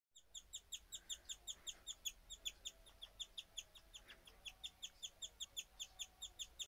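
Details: A guinea pig chirps in a fast, steady run of high, bird-like peeps, about three per second; it started suddenly, out of nowhere, and kept going a while, a rare behaviour of unknown reason.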